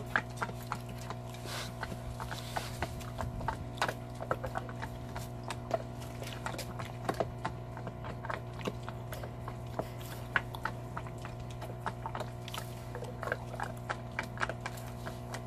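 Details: Belgian Malinois, a large dog, eating a cow bone, with dense, continuous crunching and gnawing clicks spread evenly throughout, occasional louder cracks, and a constant low hum beneath.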